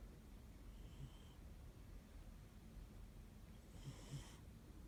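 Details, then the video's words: A pet cat snoring as he falls asleep, which he does every time; two breathy snores about three seconds apart, the second louder with a raspy upper edge, over a low steady indoor hum. "Cat snoring"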